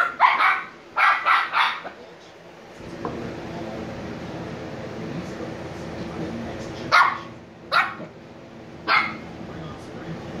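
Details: Shiba Inu puppies Niro and Kyno, 86 days old and sleepy, open with a quick triple of high barks. A stretch of broad rustling noise follows, then three more spaced yips toward the end.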